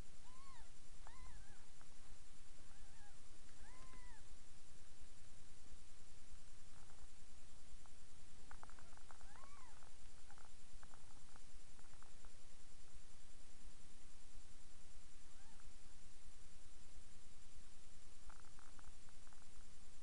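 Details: Cat mews recorded indoors while Miss Kitty nurses her seven kittens, about three days old, in a new box: high, arching harmonic cries in bursts, several early on, a cluster near the middle and more toward the end, over steady low hum.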